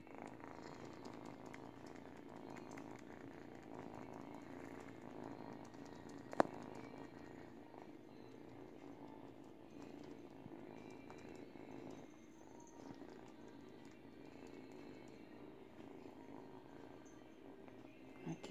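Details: Eight-week-old female kitten purring steadily while teething on a baby blanket; low, even rumbling throughout, with one sharp click near the middle.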